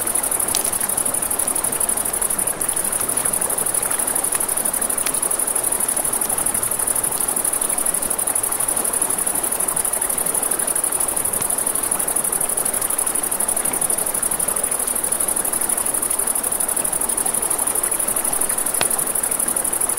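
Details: Riverside crickets at night give an unbroken, shrill, rapidly pulsed buzz for the whole stretch, set against steady flowing water and a few isolated sharp campfire pops.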